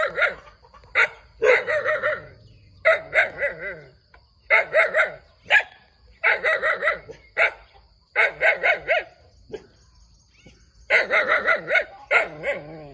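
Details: Little puppy barking eagerly in repeated bursts of shrill, clipped yaps, each run of several barks separated by short silences, with no other sounds.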